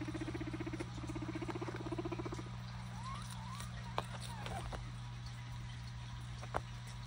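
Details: Pet guinea pigs exploring during a lettuce scavenger hunt meant to make them curious and walk around; rapid pulsed chattering bursts for about two seconds, then short rising squeaks, over a steady low hum and two sharp clicks.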